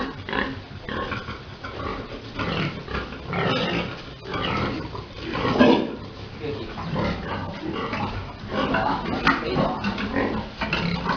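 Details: Farm pigs during mating of a big boar and a sow: rough, choppy grunts and squeals in uneven bursts, rising and falling in loudness, several animals calling at once.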